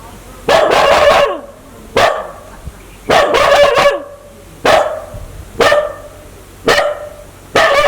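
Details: Aggressive dog wanting to bite, barking loudly in quick bursts: double and triple barks alternating with single ones, roughly one burst each second, over a quiet background.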